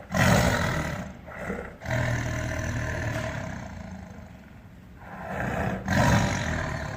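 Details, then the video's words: Tiger giving a run of deep, gravelly roars: a loud burst at the start, a long sustained growling roar through the middle, then another loud surge near the end. "Tiger roar sound"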